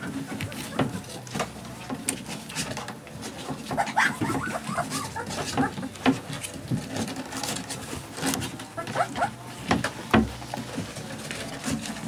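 Alaskan Malamute puppies whimper and squeak in short, high, wavering bursts amid background chatter.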